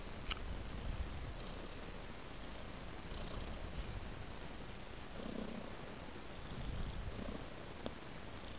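A tabby cat purrs in a steady, low, rumbling drone close to the listener.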